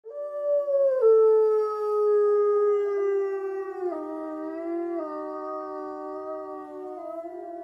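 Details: Captive white wolves howl together in snow, long, smooth, overlapping tones that slowly slide downward; gray wolf.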